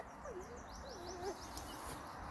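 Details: A pet Shollie dog 'talking' about wanting a chipmunk; a wavering, up-and-down whine lasting about a second, with a faint chirping sound in the background.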